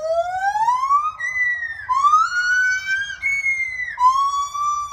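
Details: One of two white-handed gibbons in a new enclosure at a primate sanctuary sings loud, pure, siren-like hooting notes that swoop upward, repeated about every two seconds.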